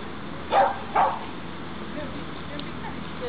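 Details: Two loud, abrupt barks about half a second apart come from Pixel, a dog in obedience training on 23 June 2012, followed by quiet background sounds.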